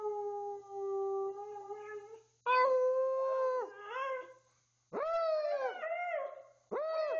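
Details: Twelve-year-old Siberian Husky howling indoors when told to speak: a long steady howl, then several shorter arching howls that rise and drop, separated by brief gaps.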